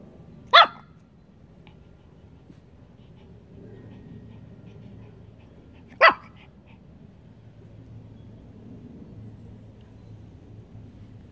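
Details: Two isolated, sharp barks about five seconds apart from a Pomeranian barking and growling at nothing on July 26, 2021, with a low steady hum between them.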